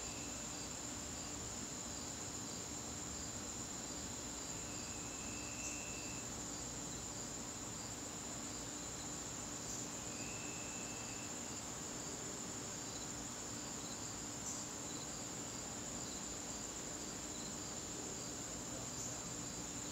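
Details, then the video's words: Crickets in a garden on a September evening, a steady, unbroken high-pitched trill holding throughout, with two short buzzy bursts at a lower pitch around five and ten seconds over a soft background hiss. "garden crickets"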